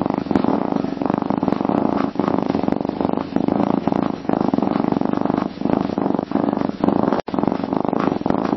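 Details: Continuous purr of a domestic cat, said to soothe the cat and signal contentment; a close, low, vibrating drone of rapid pulses, gently rising and falling in breath cycles, with one brief break near the end.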